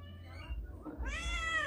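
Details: A hungry free-roaming village cat, which followed its owner to a shop to buy tuna, gives a loud, rising meow asking for food after a brief murmur of human voices.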